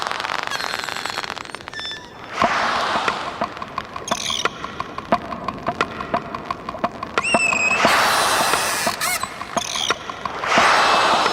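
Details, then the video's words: Dolphins a few feet from a diver underwater, checking the diver out with echolocation clicks: sharp, broadband ticks in irregular bursts, with a few brief rising whistles. "you can sense these echolocation clicks hitting you and you can feel the Dolphins checking you out"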